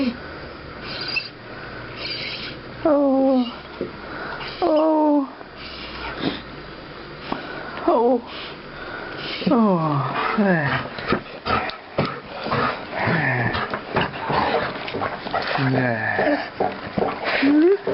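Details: Ivy, an old female guide dog, happily greeting a visitor she had expected a day earlier with soppy noises: high wavering whines and squeaky moans that rise and fall, mixed with a person talking softly to her indoors.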